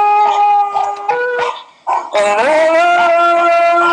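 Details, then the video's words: Pet dog reacting while listening to another dog's bark; sustained, tonal howling with rich harmonics, a few short rising yips early on, then a long steady howl that climbs slightly and holds its pitch. "Dog listening to another dogs bark"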